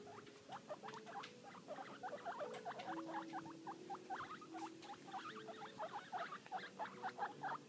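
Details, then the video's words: Busy chatter from two happy guinea pig brothers under six weeks old: dense rapid squeaks and chirps repeated many times a second, over faint sustained lower tones. "Happy guinea pigs being noisy."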